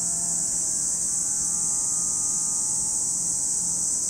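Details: Cicadas at Lake Kamo in Sado City, Niigata Prefecture, Japan, give a steady, unbroken high-pitched buzzing drone that holds evenly throughout, with a faint low hum beneath.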